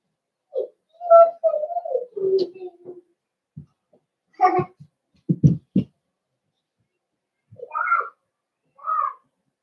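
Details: Cavalier King Charles Spaniel puppies indoors in a breeder's pen, 12/13/22, as several older household dogs are brought by to socialize. Loud whimpers and squeaky whines come in quick clusters, mixed with low grunting sounds and short pauses.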